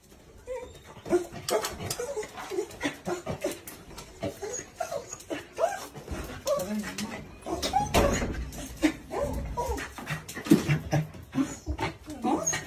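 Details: Corgi excited as its owner returns home, giving a busy run of high whimpers, yips and short barks that rise and fall in bursts, with human voices mixed in and scuffling throughout.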